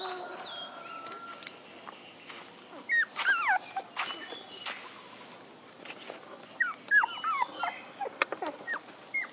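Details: Puppies give scattered high whines and short yelping cries that bend downward, in two loose bursts separated by quieter stretches, with a soft pulsing high tone and faint background hiss.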